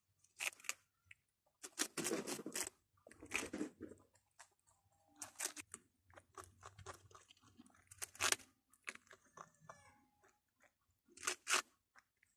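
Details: Little pet rabbits eating food, crunching and tearing: bursts of dry crunching chews come in clusters every one to three seconds, separated by quiet pauses, with a low hum in the background.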